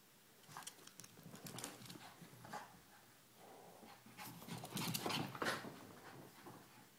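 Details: Two puppies, Ella and Duke, playing indoors; quick panting and scuffling with soft whimpers, bursts of activity clustered near the middle and end.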